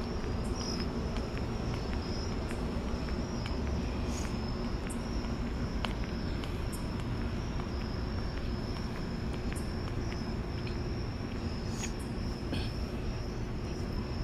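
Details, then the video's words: Crickets calling at night during a city walk to the store: a steady, thin high-pitched trill runs unbroken through the clip above a heavy low rumble of traffic and footsteps, with scattered sharp clicks. "Relaxing White Noise and Crickets"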